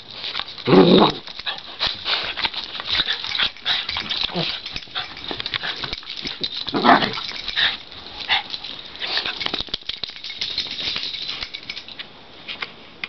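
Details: Cairn terrier siblings, brother and sister, wrestling in play; one is a rescue foster dog. Two brief, loud yelping barks near one and seven seconds stand out over steady scuffling, panting and faint indoor noise.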